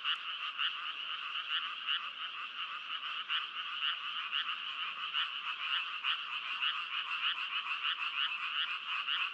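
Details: Chorus of frogs, fast rattling croaks pulsing continuously, a high band and a lower band running together without pause, no other sounds standing out.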